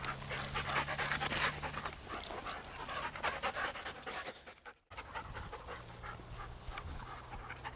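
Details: Patterdale/Lakeland cross named Ramsey, new to the group and a little shy, panting on a walk alongside other dogs; rapid rhythmic breathy puffs roughly three a second, a brief dropout midway, then steady huffing over a low hum.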